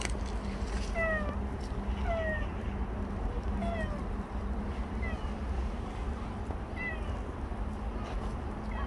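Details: Last footage of Bolt, a stray cat that lingered for seventeen months: brief descending meows recur roughly every one to two seconds, fairly soft, over a droning low background hum and rumble.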